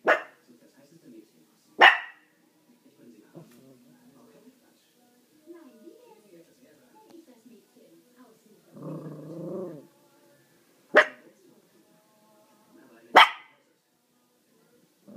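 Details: Chihuahua barking in four isolated sharp yaps with long quiet gaps, and a brief low rumbling, voice-like sound near the middle.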